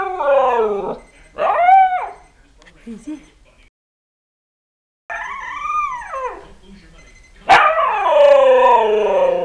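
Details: Year-old husky howling at an alarm, with rising and falling yodel-like phrases, a brief silent break, then a long loud wavering howl that carries on to the end.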